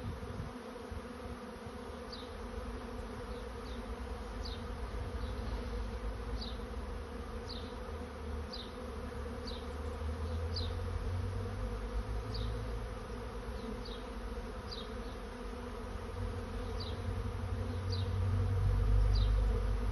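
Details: Honey bees swarming in search of a new home give a continuous low buzzing hum that grows louder toward the end. A high, thin bird chirp repeats roughly every second above it.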